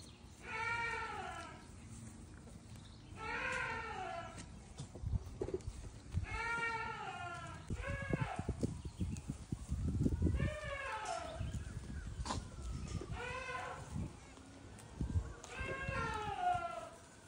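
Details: Baby goats hopping about and grazing on grass at a farm; about seven quavering, harmonic-rich bleats repeated every two to three seconds, with low rustling and thumps between calls.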